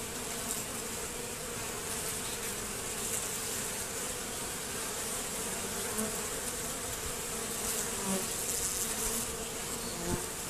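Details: Many honey bees hum in a steady, dense, low drone at a hive entrance that has been reduced and fitted with an anti-robbing screen.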